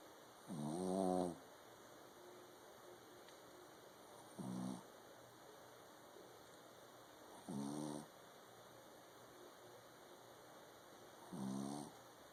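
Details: Pet King Charles Spaniel snoring loudly indoors: four raspy, harmonic snorts roughly every three to four seconds, each about half a second to a second long, against a steady faint electrical hum.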